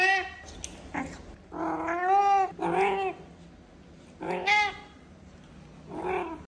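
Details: Pet cat meowing after its canned food of the day seems not to please it: a run of drawn-out, wavering meows, the longest near two and four and a half seconds, with a short chirp first and a fainter meow at the end.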